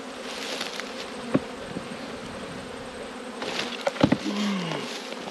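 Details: Autumn inspection of a honey bee colony, with a continuous low, droning hum from the hive throughout and a few brief clicks and knocks of frames being moved.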